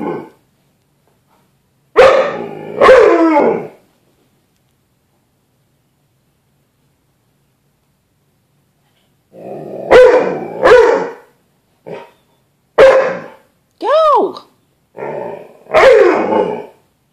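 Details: Bruce Wayne, a pet dog, barking at his reflection in a glass closet door as if at another dog: loud paired barks with rough growling edges, a long pause, then a run of barks and one rising howl-like yelp.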